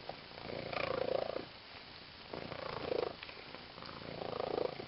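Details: She-cat purring loudly while playing with a green fish toy; three strong rumbling swells, each lasting over a second, separated by short quieter breaths.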